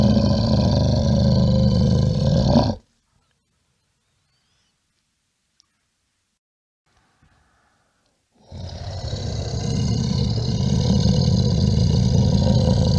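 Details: A brown bear gives deep, rumbling growls, broken by a few seconds of silence.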